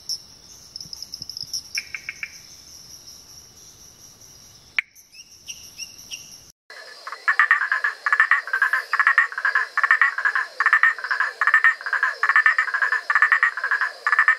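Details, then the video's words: Wild amphibians vocalizing in a compilation of field recordings: after an abrupt cut, a loud rapid series of short, rasping pulsed notes repeats about once per second. Before it come steady high insect buzzing and a few faint chirps. "Anfíbios vocalizando / amphibians vocalizing."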